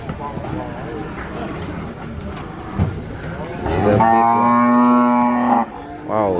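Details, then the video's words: Cattle being unloaded from a truck at a farm: a cow gives one loud, drawn-out moo, steady and resonant, after a stretch of background rumble. "the sound of the cow is big"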